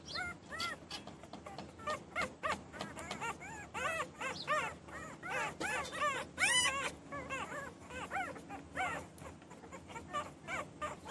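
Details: Newborn puppies crying and whining continuously, many short arched high-pitched whimpers overlapping in a dense, restless chorus.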